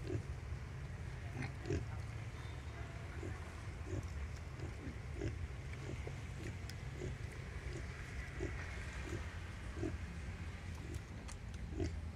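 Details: Wild boar sow nursing her young piglets: steady low rhythmic grunts repeated about twice a second, with a constant low rumble underneath.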